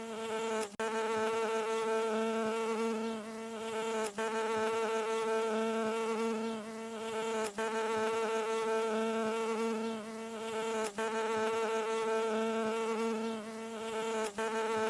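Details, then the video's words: A landing bee gives a continuous buzzing drone, full and harmonic. The steady tone breaks into short dropouts about every three and a half seconds. "중주파_벌 / Mid-Frequency_Bee Landing"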